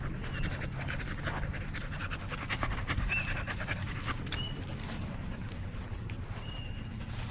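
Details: Dog at a dog park panting in quick, breathy puffs, about two or three a second, with a few thin whistled tones and a steady low outdoor rumble beneath.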